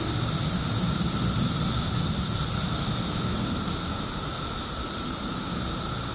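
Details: Mass chorus of periodical cicadas, emerged by the billions in Illinois after 17 years underground: relentless hissing high drone without breaks, a steady mid-pitched hum under it, plus some low background rumble.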